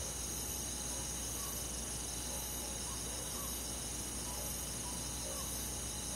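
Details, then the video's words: Summer-night insect chorus of crickets in countryside forest: layered high, steady trilling bands run without pause, while faster soft chirps pulse through the middle, all wrapped in a steady background hiss. "잠이 잘오는 여름밤 잔잔한 풀벌레소리"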